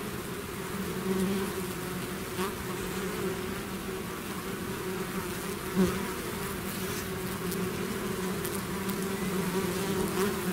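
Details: Bees swarming out of their hive produce an unbroken, steady hum, layered low drones with many overlapping wingbeats; a brief louder buzz passes close at about six seconds.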